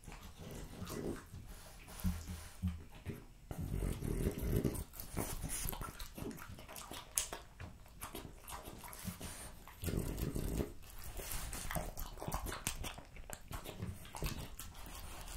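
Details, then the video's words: French Bulldog eating raw lamb cutlets, beef schnitzel and pulled pork indoors: wet, crunchy chewing and lapping in bursts, low-pitched smacking that pauses briefly around three and nine seconds. "French Bulldog Eating Raw Lamb Cutlets, Beef Schnitzel & BBQ Pulled Pork"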